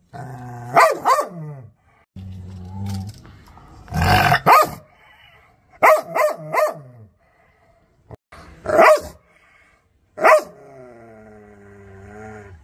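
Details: Aggressive dog barking angrily. Sharp barks come singly and in pairs, about ten in all, separated by short low growls and brief silences.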